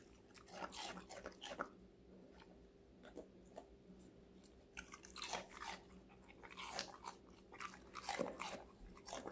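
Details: Connie, a five-month-old female Golden Retriever, eats various vegetables in a close ASMR recording indoors. Bursts of crisp crunching and biting come in clusters, with quieter pauses between mouthfuls and a steady low hum underneath.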